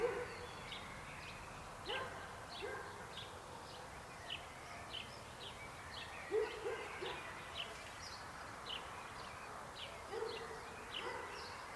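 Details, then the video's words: Croaking frogs: several deeper, abrupt croaks stand out from a busy layer of quick, high-pitched chirps and a continuous hum of many more callers further away. "Rechot żab. Croaking frog sound."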